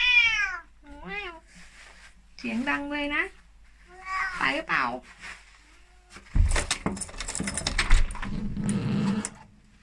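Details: Indoors in England, elderly Korat cat Tiki, raised in Thailand, cries to be let out on a chilly late morning. Several clear, wavering meows come in the first few seconds, then rustling and a woman's voice.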